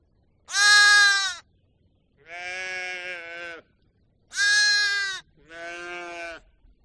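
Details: Two pairs of sheep bleats: each pair opens with a loud, high, shaky bleat and is answered by a quieter, lower, longer bleat, with brief silences between calls.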